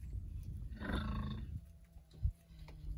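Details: Berkshire pigs rolling around with joy while being treated for external parasites before winter; one rich, harmonic squeal lasts under a second mid-clip over low rumbling and a few thumps.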